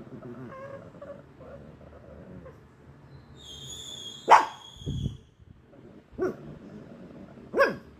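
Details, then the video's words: Lili, a white Pekingese, barking at a ghost: a brief high whistled tone, then about four sharp, short barks at irregular gaps of one to two seconds over a quiet, faint background hum. "White pekingese barking at a ghost"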